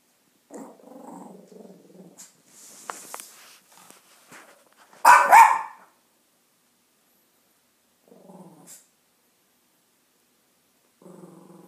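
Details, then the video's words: Pet dog barking and growling: low rumbling growls broken by one loud sharp bark in the middle, then quieter grumbles. "Ginger barking at?"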